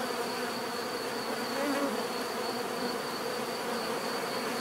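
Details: Bees buzzing: a dense, steady hum of many insects with low droning tones, unbroken throughout, plus a faint continuous high whine.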